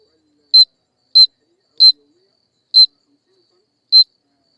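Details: Insect calling alone in silence: five short, sharp, high-pitched clicking chirps spaced irregularly at roughly one-second intervals, each a bright shrill burst with nothing heard between.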